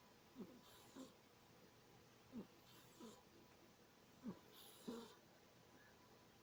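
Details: Serena the cat asleep and dreaming, breathing with loud sniffs close to a snore; brief husky puffs come about once a second, some paired, against low steady background hiss.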